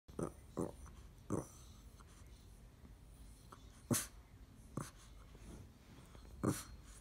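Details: Female Boston Terrier grunting and sneezing when she doesn't get what she wants: about six short, irregular, snorting bursts, with sharp, hissing sneezes near four and six and a half seconds, over quiet room hiss.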